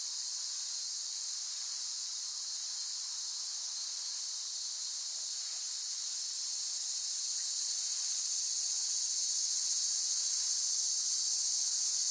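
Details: Cicada chorus as a steady, piercing, sizzling drone with a rapid fine pulsing, slowly swelling louder over the last few seconds.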